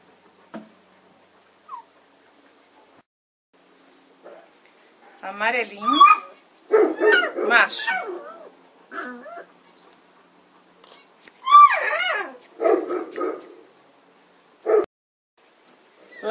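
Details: Kuvasz puppies, 35 days old, being chosen from a litter, give short high whines and whimpers between stretches of a person talking, with several thin rising-and-falling cries clustered near the end.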